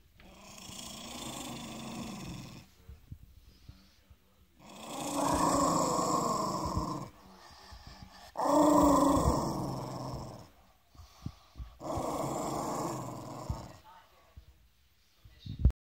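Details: Angry Parson Russell Terrier growling: long rough, raspy growls of two to three seconds each, rising and falling in loudness, separated by short breathing pauses, repeated about five times.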